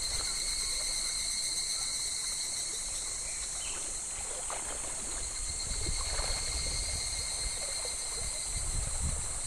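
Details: Cicadas singing in midsummer, in July, beside a very shallow, gently flowing clear stream: a steady, unbroken high shrill drone in two layered bands that holds for the whole stretch, over soft water babble and faint low splashes.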